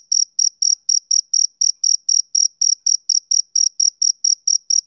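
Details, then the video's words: Male cricket chirping on a summer evening, crisp high-pitched pulses following each other roughly every quarter second, slightly uneven in spacing, with no other background sounds. "Cricket Chirping Sound"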